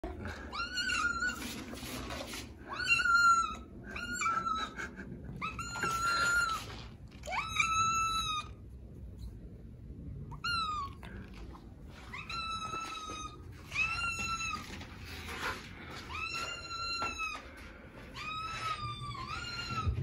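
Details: Little black kitten Milo meowing frantically for food at mealtime while orange tabby Sunny waits patiently; about fifteen loud, clear, bending meows repeat every second or so, with a short quiet pause midway and soft indoor background noise.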